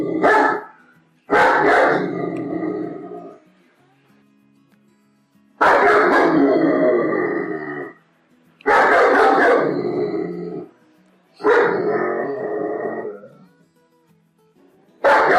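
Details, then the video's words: Angry German Shepherd dog barking in deep, harsh bursts: five loud barking bouts of about two seconds each, separated by short pauses, with a sixth starting at the end. "som de cachorro pastor alemão bravo"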